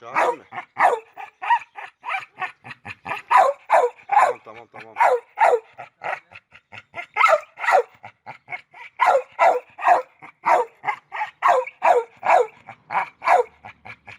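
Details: Excited barking from red nose pit bull Oscar at a mating meeting with chocolate red nose Müdür: a long stream of quick, short barks in uneven bursts, about two to three each second, with one brief whine.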